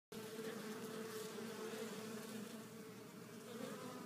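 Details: Honey bees at a backyard hive flying back in with loads of pollen, several colors of it, making a steady continuous hum with a low droning tone and faint higher overtones, the many wingbeats blending into one dense buzz.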